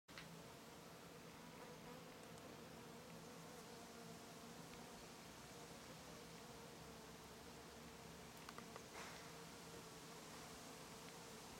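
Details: Bees and other insects foraging on a row of lavender in a garden in Brittany; a steady, even droning hum with layered tones runs throughout, several insects overlapping, with faint ticks and rustles.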